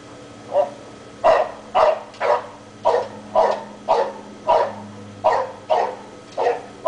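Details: Dog left alone outside all day while its owner is away, barking at holes in the ground: eleven sharp barks in quick, uneven succession over seven seconds, over a steady low hum.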